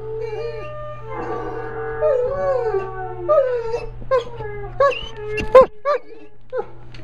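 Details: Buckley, a dog learning to howl, starts with sustained wavering howls that drop in pitch, then breaks into short sharp yips and broken cries toward the end, over a low hum.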